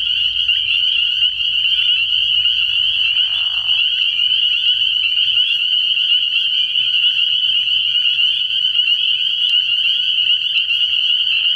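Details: Nighttime pond chorus of spring peepers early in the year: a relentless high, piping ring of overlapping peeps. A short lower raspy sound cuts in near four seconds, and faint low rumble fades out midway.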